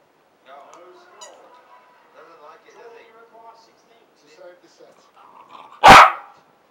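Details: Quiet murmuring human speech drifts along for several seconds before Fergus, a Parson Russell Terrier at play, cuts in with one loud, abrupt bark near the end. Recorded 7/1/15.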